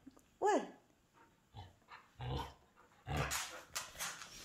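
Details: A hungry Samoyed at home, asking for food and pressing talking buttons. A single short, high whine rises and falls, followed by button clicks and a person's voice.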